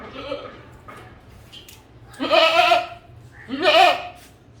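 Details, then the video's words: A faint, distant bleat opens, then two loud, shaky goat bleats follow about one and a half seconds apart over a low steady hum. "Goat Voice Sound"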